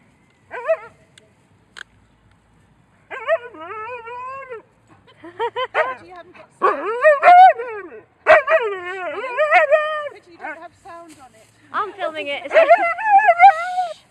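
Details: Nervous Alaskan Husky in a park giving a whiney, singing whine: wavering, harmonic-rich yowls that rise and fall, in bursts separated by short pauses, with brief human voices nearby.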